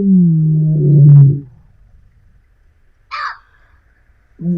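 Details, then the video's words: Lioness in Africa calling her pride: a loud, deep, low moaning roar with steady harmonics lasting about a second and a half, then silence, a brief sharp higher call, and a second deep roar beginning at the end. "Lion Roar Sound Effect Loud and Deep"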